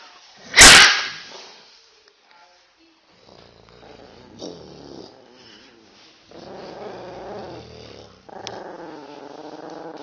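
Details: Female Yorkshire Terrier reacting aggressively after her owner teases her with a growling sound she hates; a sharp loud burst near the start, then low rumbling growls that rise and hold in the second half.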